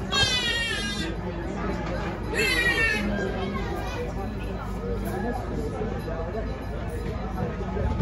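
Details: Stray kittens in Istanbul, one of eight siblings struggling to suckle milk from their mother cat: two high, wavering cries near the start and around the third second, with a low murmur of human speech running underneath.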